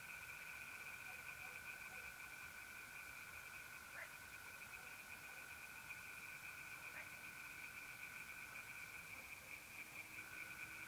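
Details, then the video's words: Tree frogs singing in a pond at night in mid-April in north-eastern Italy: a distant, steadily pulsing chorus with an unbroken high trill of mole crickets running beneath it throughout. "relaxing singing tree frogs in pond and trilling mole crickets by night"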